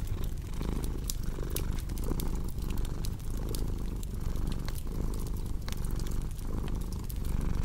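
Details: Purring cat, a throaty low hum pulsing about forty times a minute in soft breath cycles, set against steady crackling and popping from a wood fire.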